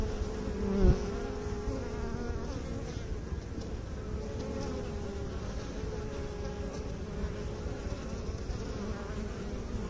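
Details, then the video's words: A low, steady bee drone with clear stacked overtones. A brief louder knock or tap comes near the start, then the hum continues evenly to the end. "Bee song"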